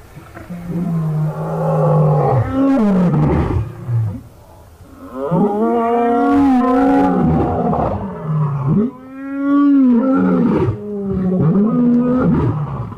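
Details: Five male lions in Birmingham roaring together on August 13, 2015: deep drawn-out moaning roars, several overlapping, rising and falling in pitch, with brief pauses between bouts.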